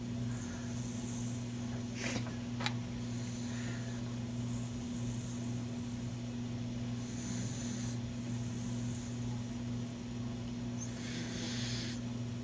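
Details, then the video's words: A sleeping male pet beagle snoring, not at his loudest; breathy, hissing bursts of snore recur every few seconds over a steady low electrical hum. "Snoring Beagle"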